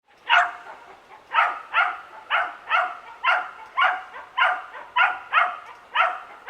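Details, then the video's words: Young dachshund in a suburban backyard barking constantly: sharp, harmonic-rich barks repeated about once a second across the whole stretch, fairly even in loudness, over a quiet neighborhood background. "Constant Dog Barking Sound Effect | Realistic Backyard Ambience"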